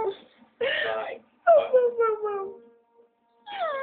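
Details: Dogo Argentino howling amid human speech: a drawn-out tonal howl that starts high and slides gently downward, fading out, with people talking in Spanish before and after.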